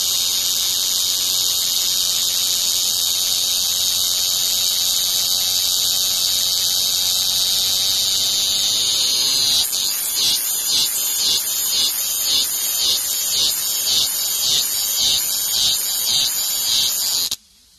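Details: Singing cicada: a loud, steady shrill drone for about nine seconds, then breaking into rapid pulsed phrases repeated roughly twice a second before stopping abruptly.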